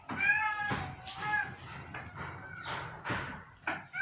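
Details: A sick domestic cat gives a drawn-out, harmonic meow that bends slightly downward over the first second and a half. A person talks over and after it in a small room.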